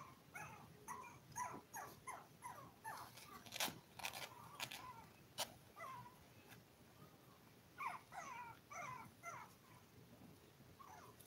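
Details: Toy poodle puppies, five weeks old, one of a litter of seven eating, playing and sleeping on a live stream, giving bursts of short high whimpers and yips in quick clusters, with a few sharp clicks and knocks between them.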